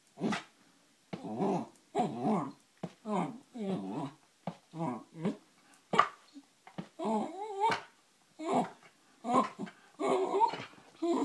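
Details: Female Wire Fox Terrier indoors, wanting her owner to play: a run of short rough growly grumbles, roughly one a second, then rising whiny moans near the end.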